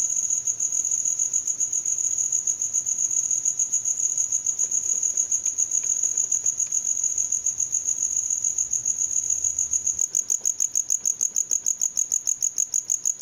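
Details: A cricket trills steadily at a high pitch with fast pulsing. Near the end the pulses become more clearly separated into rapid, evenly spaced chirps. No other sounds stand out.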